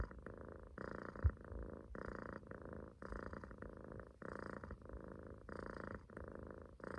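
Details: Munchkin kitten sleeping relaxed in a loaf on its owner's stomach, snoring: rhythmic raspy breaths with a low rumbling purr-like texture, each breath lasting under a second and repeating steadily through the clip in a quiet indoor room.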